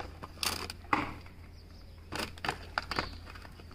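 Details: Indoors, scattered creaks, clicks and soft crunching over a low steady hum, with no animal call.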